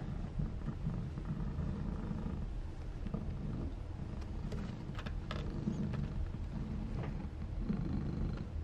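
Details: Fujiko, a mother Maine Coon at a Tokyo breeding cattery, purring: a steady, deep rumble running unbroken throughout, with light rustles and clicks on top.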